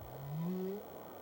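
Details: Humpback whale song from tropical calving grounds, audible for hundreds of miles: a single unit, a low moaning tone sliding slowly upward for under a second, with a fainter higher overtone, over steady underwater hiss.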